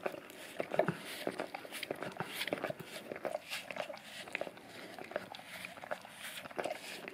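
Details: Male English cream golden retriever cleaning his tongue and breath on an Orapup brush smeared with peanut butter, taped down to tile; rapid moist slurping and clicking licks, dense and continuous, indoors.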